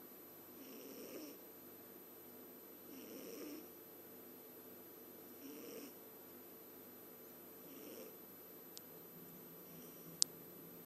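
A Scottish Fold cat snores in soft, raspy breaths repeated about every two seconds.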